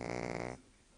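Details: A Shih Tzu named Monjiro sleeps sprawled out, giving one loud, rough rattling snore that stops abruptly, followed by quiet room tone.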